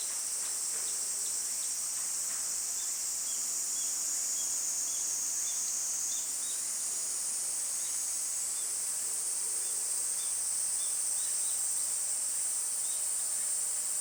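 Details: Shrill summer cicada drone, a sustained high whine filling the air continuously for the full length, its pitch stepping slightly around the midpoint, with faint scattered chirps underneath.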